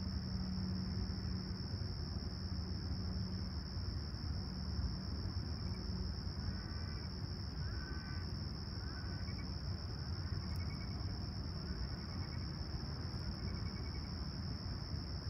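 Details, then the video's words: Chirping crickets at sunrise on 28 July 2020, Humber Bay Shores, Toronto, clear and calm at 20ºC: a steady high trill continues throughout, with a low hum early on, a few faint chirps midway, and strong low rumble. "Serene Summer Toronto Morning With Chirping Crickets"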